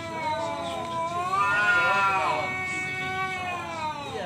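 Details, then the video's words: Male cat challenging another to fight, one sustained wavering howl that climbs, peaks, then slowly drops, with a faint human voice behind it. "suara kucing ngajak berantem//kucing jantan"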